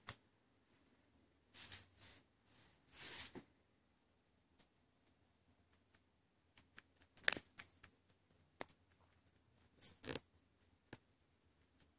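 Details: A near-silent indoor room holds only brief rustling swishes, scattered clicks and one sharp tap, with no animal vocalisation.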